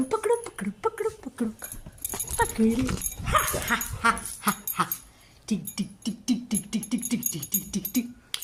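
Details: Labrador Retriever being teased, answering with whimpers and yips: a noisy, scratchy burst in the middle, then a fast run of short, low, evenly spaced whimpering pulses, roughly three or four each second.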